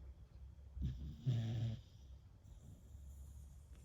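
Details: Sleeping Beagle, worn out after lots of walking and play, gives one low rasping snore lasting about a second amid quiet breathing and faint background hum.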